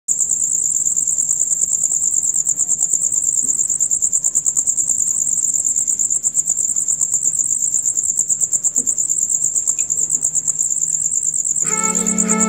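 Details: Male crickets chirping, heard from dusk until dawn: a loud, rapid, high-pitched pulsed trill, steady at about three pulses per second, with a brief harmonic musical tone entering in the final second.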